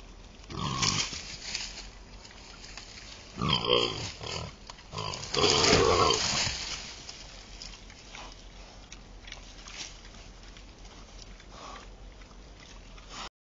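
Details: Wild boar squeal harshly in short, loud bursts as they fight while feeding at night.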